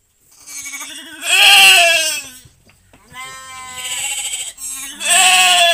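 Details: Goat bleating while being helped through giving birth to a kid on a livestock farm: three long, loud, wavering bleats, the longest stretching nearly two seconds, each with a shaky, quavering tone and short silent gaps between.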